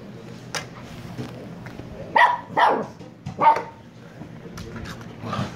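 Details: A few muffled, breathy barks from a Shiba Inu pup of Kyno and Niro, three louder ones spaced about half a second to a second apart, over a soft background hiss.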